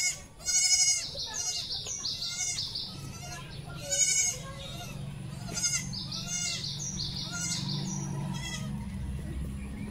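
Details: Domestic goat kept at home, a doe that has just given birth to four kids. Loud, wavering, nasal bleats come in three bursts. Groups of quick high bird chirps repeat between them over a low background hum.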